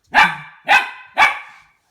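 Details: Goldendoodle puppy Harvey, 10 weeks old, barks at an unfamiliar plastic toy. Three evenly spaced, sharp barks, each with a short fading tail.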